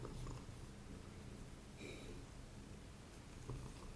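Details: Quiet, continuous low purring from a domestic cat indoors while paper collage and journaling work goes on, faint paper handling sounds layered over the even rumble.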